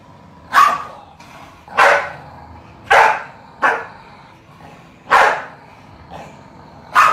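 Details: Corgi sharp, single barks spaced roughly one to two seconds apart, amid a sibling rivalry fight between a black corgi and a yellow corgi after the black one dropped his stuffed toy on the sleeping yellow one.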